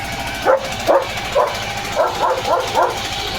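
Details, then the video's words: Leo, a German Shepherd, barking on a rainy evening while road work goes on nearby: a run of about eight short, sharp barks over a few seconds, spaced unevenly, against a steady hiss of rain. "Leo The German Shepherd ची भुंकण यंत्रणा सुरू"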